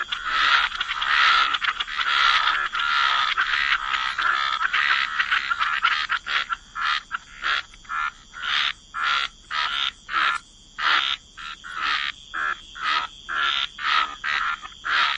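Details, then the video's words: A chorus of frogs by the waterside in wetlands. Several seconds of dense, overlapping rasping croaks give way to a long run of separate short croaks, repeated steadily about twice per second. "Frog Lullaby: Relax to the Sound of Croaking Frogs"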